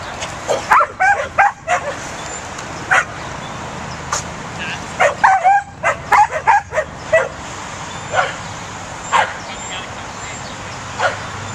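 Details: Corgi puppy of the Pembroke Welsh breed barking while herding: quick irregular yaps, several closely packed early on, then spaced single barks, with light background noise.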